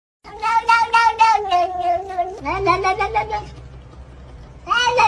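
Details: Domestic cat meowing in a drawn-out, gently falling harmonic tone, then a shorter wavering meow after an abrupt cut, and another loud meow starting at the very end.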